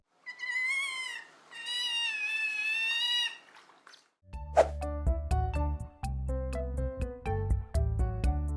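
An otter gives two drawn-out, high, whining squeals, much like a cat's meow, followed by music.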